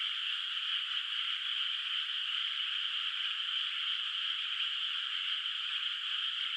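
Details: Frogs heard far off over a moonlit rice field at night, the paddy still without rice: a continuous high-pitched chorus of croaks with a slight grainy, hissy texture, steady throughout.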